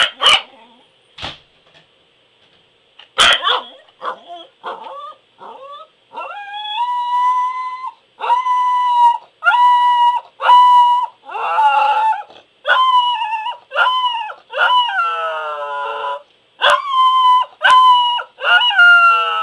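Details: A Pembroke Welsh Corgi howls indoors in a run of drawn-out, wavering tonal notes near one pitch, each lasting about a second with short breaks, some bending downward, after a few sharp opening clicks and yips.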